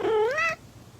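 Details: Kitten giving one short meow that starts mid-pitched, slides upward and ends abruptly after about half a second, followed by quiet room tone.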